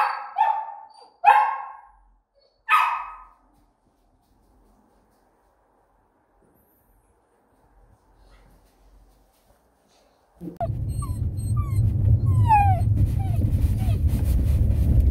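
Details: Sick Samoyed puppy barking as if in pain, three loud harsh barks in the first three seconds, then quiet, then a steady low rumble of noise with faint high chirps from about ten seconds on.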